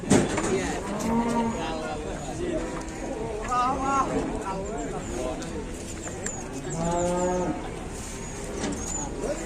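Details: Cattle unloaded from a truck at the busy Gerabak market before a watching crowd: several loud, drawn-out harmonic moos, each lasting about a second, with rising and falling pitch, amid lively chatter from onlookers.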